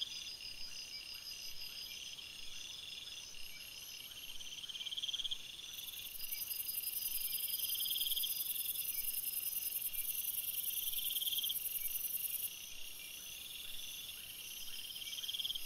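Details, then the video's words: Layered chirping of many crickets in a night-time forest, steady shrill trills with intermittent pulsed phrases, and a piercing upper band that enters midway and holds for several seconds before fading. "Crickets Sounds, Night Sounds"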